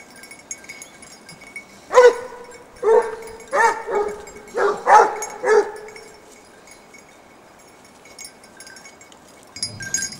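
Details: Basset Hounds of the French Rallye de l'Allagnon line following a scent trail bay in a burst of six ringing, harmonic barks spaced under a second apart, then fall quiet against a soft outdoor hiss.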